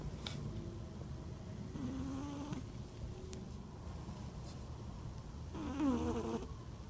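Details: Sleeping cat snoring: low rough breathing throughout, with two tonal, slightly whistled snores near two and six seconds, the second louder and wavering.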